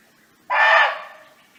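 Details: Single sharp, hoarse bark from a barking deer living freely in nature and calling to its friends, a sudden harsh burst of about half a second that tails off softly.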